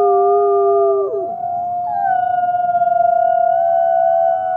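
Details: Captive-born gray wolf at a wolf conservation center in South Salem, New York, howling to the rising sun: long smooth sustained tones, one dipping and breaking near one second, then a steady level howl joined by a higher overlapping voice.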